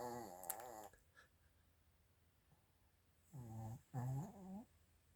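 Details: Chiroru, a female Mal-Shi (Maltese father, Shih Tzu mother) born July 22, 2017, snoring indoors; nasal, wavering whistle-like snores in one long stretch, a pause, then two shorter snores in quick succession.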